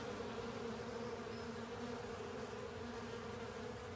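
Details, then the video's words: Honey bees with other insects cleaning up a honey filter, a steady dense swarm hum with a bright band of buzzing around the middle pitch and a lower droning layer beneath, unbroken throughout. "Honey Bees & Pals Cleaning Up A Honey Filter"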